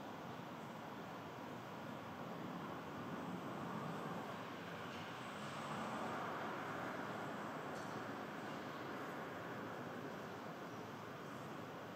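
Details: Continuous broadband rumble like passing vehicles or a train fills the recording, with no animal voice standing out.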